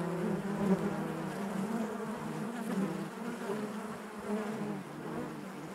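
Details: Inside a beehive, honey bees produce a smooth, constant droning buzz with faint wavering overtones, fairly uniform in loudness throughout, slightly softer than the louder passages elsewhere.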